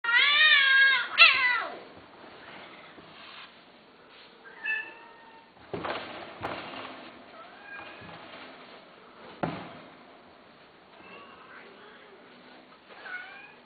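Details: Cat meowing indoors: a loud drawn-out wavering meow at the start, then softer scattered short mews and small chirps with some clicks and handling noise.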